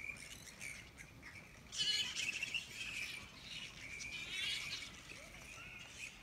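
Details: Grey-headed flying fox camp beside the Wolli Creek walking track in Sydney; a continuous high, squeaky chattering chorus from many bats, swelling into louder screechy bursts near the second and fourth seconds.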